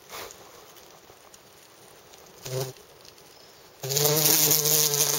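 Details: Bumblebee buzz: a short low hum flares briefly, then after a pause a loud, steady droning buzz with strong overtones starts suddenly and runs to the end.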